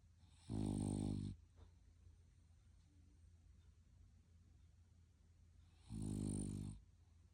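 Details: French Bulldog snoring indoors: two loud, rasping snores of about a second each, low and buzzy with a breathy hiss on top, about five seconds apart, with quiet breathing between.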